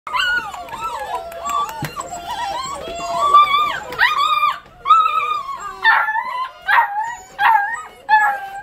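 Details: Sixteen eight-week-old Basset Hound puppies at bedtime: a chorus of overlapping high whines and yelping howls, wavering and sliding in pitch, rising into loud repeated howl bursts about every second in the latter half.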